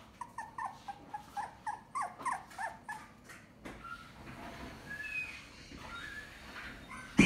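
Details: A white Toy Poodle, perhaps afraid of being up high, gives a quick run of high, whining whimpers, then falls quiet under background rustling.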